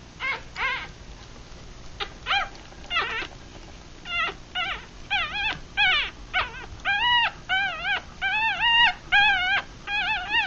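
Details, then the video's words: Newborn puppies, three days old with eyes still closed, a Rat Terrier and Chihuahua cross litter of six feeding; thin whining squeals with wavering harmonics, starting sparse and faint then coming faster and louder, overlapping cries from several pups. "3 Day Old Puppies"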